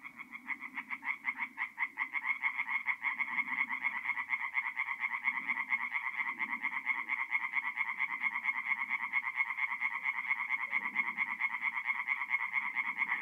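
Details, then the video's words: Singing tree frogs at a forest pond by night, mid-April in north-east Italy: an unbroken, steady rattle of loud nasal croaks repeated several times a second for the whole stretch, with softer low-pitched frog calls pulsing underneath. "relaxing forest pond by night with singing tree frogs"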